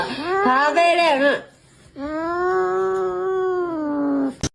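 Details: Pet cat meowing indoors: a short wavering meow, then after a pause a long, steady, drawn-out meow with rich harmonics, lasting over two seconds, in a small room.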